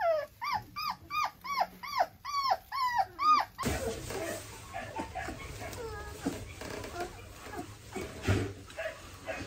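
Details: German Shorthaired Pointer puppies during a nail trim give eight or so arched whining yelps, evenly repeated about twice a second, then fall silent under rustling handling noise and a few faint whines.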